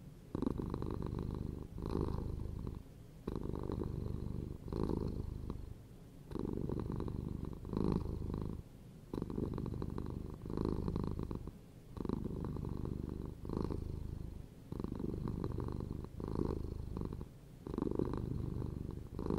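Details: Long, relaxed cat purr, a low throbbing hum repeating in regular breathing cycles roughly every one and a half seconds throughout.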